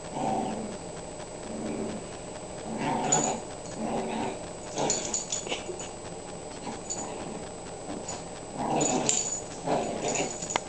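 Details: Pet dog, female, busy with her toy, making repeated low whining and growling bursts every second or two, some rising into sharper yips, over steady indoor background hiss.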